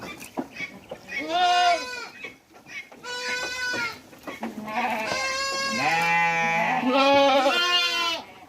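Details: Hungry goats calling at a Mumbai goat farm in India: overlapping bleats from several animals, the first short, then long drawn-out wavering cries that merge into a sustained chorus of loud harmonic bleating.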